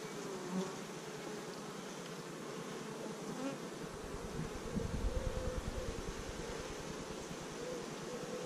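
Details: Fifth-week colony of kept honey bees, started with 15,000 bees in early May 2017, captured by GoPro: even, droning hive buzz that swells slightly in loudness toward the middle, with soft low rumble.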